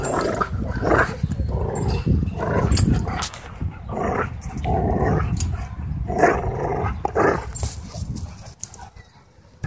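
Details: Husky Shepherd mix in rough play at a dog park; rumbling growls and gruff huffs rise and fall in irregular bouts over nearly ten seconds, mixed with scuffling and outdoor wind noise.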